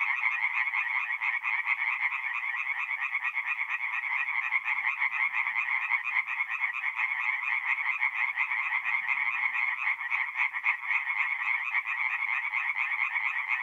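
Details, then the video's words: Forest pond at night in April, north-east Italy, where a loud chorus of tree frogs keeps up a fast, uneven stream of pulsed croaks from many overlapping voices, background otherwise quiet. "relaxing forest pond by night with singing tree frogs"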